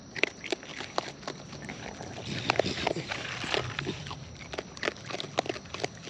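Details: Wild raccoons eating at close range: loud, crisp chewing and biting clicks come in quick irregular bursts, with smacking crunches throughout and a busier patch of mouth noises midway.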